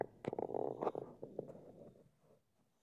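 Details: Mogli, a pet pug deciding whether to go to sleep, gives a short run of low, rough grumbling grunts with a couple of sharp snorts, fading into quiet breathing after about two seconds.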